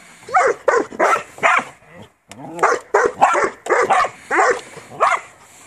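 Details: Border Collie working on a farm gives bursts of loud, rapid barks, three in a row, a brief silence, then a steady string of six or seven more evenly spaced barks.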